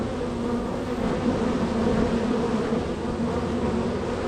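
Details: Extremely active honey bee hive with foragers coming and going; continuous low buzzing drone, many wings blending into one humming mass, faint individual whines rising and falling through the middle.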